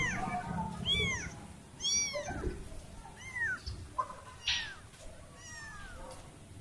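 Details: Kitten separated from her family meows repeatedly, about once a second, each cry a high arched wail sliding up then down, with faint room noise and a soft thump between calls.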